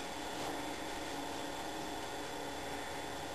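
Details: Steady broadband hum, like a fan or air conditioner running in a small indoor room, with no animal voice heard.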